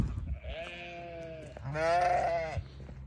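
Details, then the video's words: Newborn lamb bleating: two drawn-out, wavering harmonic bleats, the first about one second long and the second louder and steadier, separated by a short pause, with faint low background rumble. "Newborn baby sheep so beautiful"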